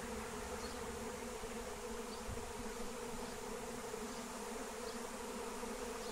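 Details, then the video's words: Wild honey bee swarm flying as it is captured with lemon balm: a constant, dense wing drone holding one steady pitch, with a few faint high bird chirps in the background. "Honey Bee Swarm Capture with Melissa plant"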